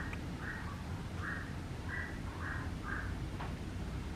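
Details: Papillon puppy named Dora giving five short, high whimpering yelps in a steady series about half a second apart, each a brief flat tone, over a constant low rumbling hum.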